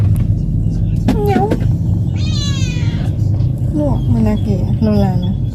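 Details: A cat travelling for the first time on a sightseeing outing gives a short, wavering meow in the middle, with human chatter before and after and heavy low road rumble.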